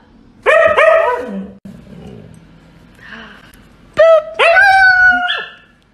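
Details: Siberian Husky acting the drama queen, giving two bursts of loud, rising-and-falling yelping whines with bright harmonics, separated by a quiet stretch of soft room noise.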